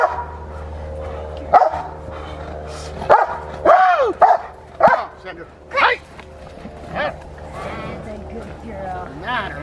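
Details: Rottweiler named Fire v LordsNLadies during schutzhund (IGP) protection training, giving a series of sharp, harmonic barks in bursts roughly every second, with a human voice talking underneath throughout.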